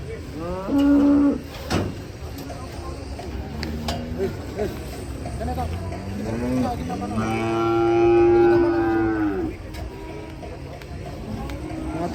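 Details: Cattle mooing in a compilation of funny, unusual cows: a harmonic, mid-pitched moo near the start, then a longer, louder drawn-out moo around the eighth second, over constant crowd and background noise.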